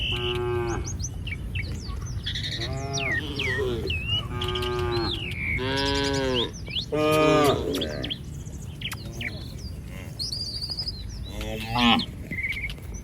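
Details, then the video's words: Village cattle in a herd roaming freely along a street: repeated deep, drawn-out moos with rich harmonics, about five calls over thirteen seconds, some rising then falling, with high chirping birds and a steady low background rumble. "Suara sapi lucu Moo"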